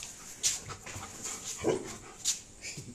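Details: Pet German Shepherd dogs in Uttar Pradesh, India, give short whimpers and soft bark-like bursts, a few scattered across three seconds, over a steady faint hiss.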